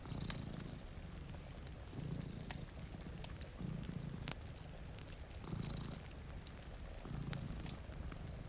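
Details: Two cats sleeping before a rainy window purr in low, rumbling bursts that swell and fade about every one to two seconds, with sharp crackles from a fireplace and soft rain ticks over the top.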